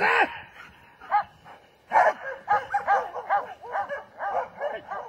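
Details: German Shepherd dog barking: a loud harmonic bark opens, then after a pause a run of short, strained barks follows at a quick, uneven pace.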